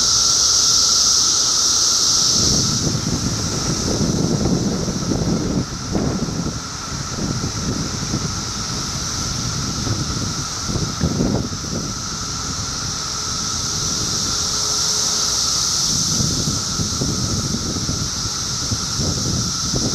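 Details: Cicadas in a mass chorus, Middlesex County, New Jersey, June 2013: a loud, unbroken buzzing drone swelling and easing in waves, with a steady hum beneath and low rumbling wind noise.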